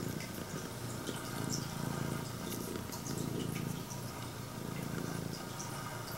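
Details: Greeting purr of a female straight-eared Scottish Fold cat, red tabby and white, purring loudly at her owner's arrival; a softer low rumble rising and falling in waves, with scattered clicks and rustles.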